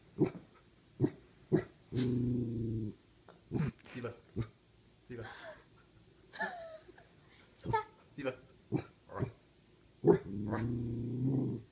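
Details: Pet dog growling at a person indoors: two low, rumbling growls about a second long each, at the start and near the end, between short sharp noises and people talking quietly in Danish.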